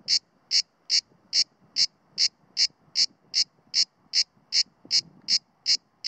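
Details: Cicada orni, the Mediterranean cicada, perched low on a pine near Sueca, Spain, September 2017, singing below full strength while alert; evenly spaced shrill rasping bursts, roughly fifteen in six seconds, over a quiet background.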